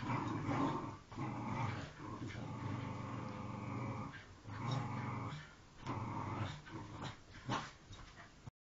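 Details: Jack Russell Terrier playing tug of war indoors: a continuous low rumbling growl, swelling and easing in long bursts with brief breaks, plus rustling and tugging noises.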